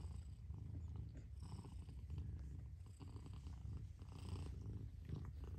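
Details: A mother cat purrs in a low, even rumble that pulses with her breathing, inhale and exhale phases alternating every second or so, quiet room otherwise.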